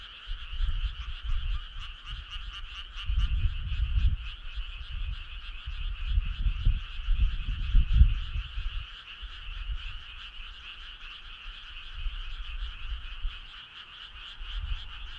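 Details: Frog chorus on a summer night: a dense, steady trilling of many overlapping callers in two bright bands, pulsing rapidly throughout, over low irregular rumbling thumps.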